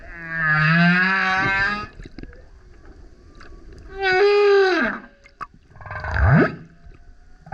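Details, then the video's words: Loud male humpback whale song recorded beside a kayak: a long buzzy howl with many stacked overtones, then a downward-bending moan, then a low swooping grunt, with faint water sounds between. "Singing Whale is LOUD - BURPS, GRUNTS, HOWLS + ROARS! Listen as he comes up singing next to kayak"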